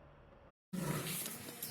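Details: A captive lion at Nandankanan Zoo gives a brief, deep, rough roar that rises abruptly out of near silence.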